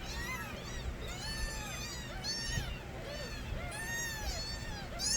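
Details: Stray kittens, the young of a street cat named Nabi, cry loudly together: many overlapping high, arching meows rise and fall in quick succession, some shrill and others lower, over a steady low background hum.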